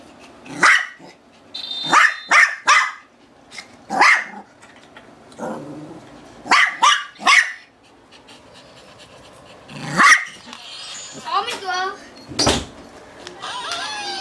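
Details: Playing with a toy she is afraid to grab, Sha sha the female Shih Tzu keeps barking in sharp high clusters. A squeaky toy squeals in wavering bursts late on, and a loud knock is heard.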